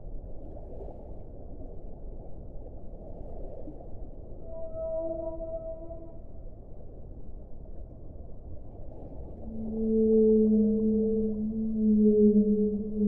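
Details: Whale song with sparse, drawn-out moans. A brief higher tonal cry with faint overtones comes midway, then a loud, sustained low moan with stacked harmonics swells near the end over a dull rumbling background.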